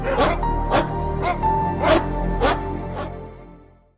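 A dog barks six times, sharp single barks about every half second. Soft sustained music plays underneath.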